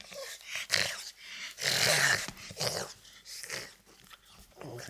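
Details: French Bulldog making strange noises indoors: loud breathy snorts and wheezy rasps in long bursts, the strongest lasting close to a second.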